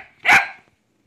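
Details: Shetland Sheepdog puppy named Titiuu, playing indoors in an apartment, gives one sharp, loud bark lasting under half a second, preceded by a faint trailing sound and followed by quiet.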